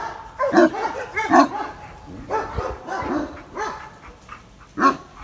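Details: Wary of an unknown visitor, Benno, a shelter dog in Biberach said to be a Landseer bought online as a puppy, gives scattered loud, rough barks separated by quieter gaps, ending with one sharp bark.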